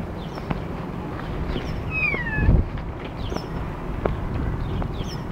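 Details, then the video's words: Cat on a walk outdoors utters one squeaky, downward-sliding meow midway, surrounded by low rumbling background noise and a few faint clicks. "you squeaky door"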